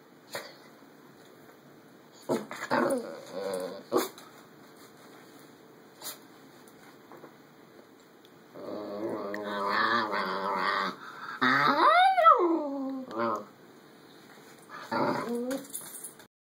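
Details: Talkative pet schnauzer grumbling in short bursts, then a long wavering groan that swoops up into a high whine and falls away, ending with a brief closing grumble.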